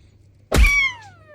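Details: Domestic cat defending its personal boundaries: a sharp thud, then a single drawn-out harmonic yowl that slides steadily downward and fades, with quiet background.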